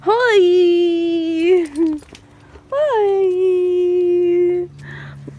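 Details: Golden Retriever named Hudson, happy as he welcomes his owner home after a late shift. Two long, loud, howling whines, each rising sharply then holding a steady tone for about two seconds, separated by a short pause.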